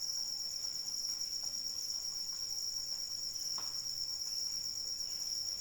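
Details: A constant, piercing cricket trill during rainfall, unbroken and even for the whole stretch, with a faint background hiss of rain and one brief drip-like tap.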